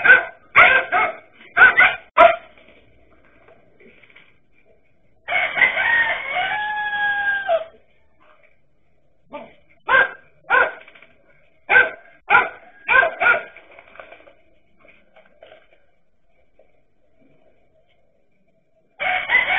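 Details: Dachshund dogs facing a king cobra bark in quick clusters, then a sustained wavering cry lasts about two seconds, followed by spaced single barks and a final burst after a quiet gap.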